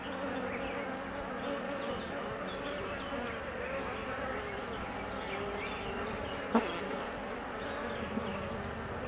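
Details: Honey bees of a colony, nervous and anxious during the queen's 45-minute absence on her mating flight, giving a steady, dense buzzing hum with shifting tones and one sharp click near the end.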